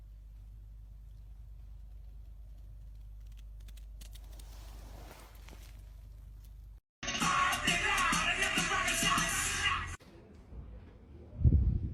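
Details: Quiet low hum, then a loud, hissing, rain-like burst for three seconds, ending with a low thump, and no animal call heard.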